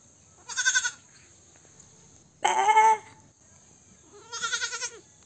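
A young goat bleats three times, high and quavering, calling for its mother.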